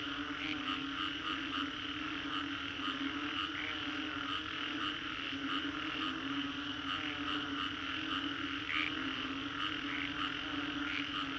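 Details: Singapore's Green Corridor after a storm, where a crowd of frogs keeps up a thick, steady chorus of low droning and quick repeated pulses, punctuated by frequent short bright chirps throughout.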